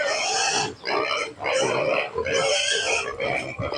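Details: Hungry native pigs at a farm, noisy before feeding: loud, harsh, harmonic squeals in long overlapping bursts, briefly dipping about every second, with no pause in the din.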